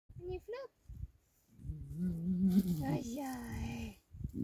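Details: A female leopard, seemingly happy, gives a long, low, wavering moan in response to a student's voice, turning in circles and rolling over as she does.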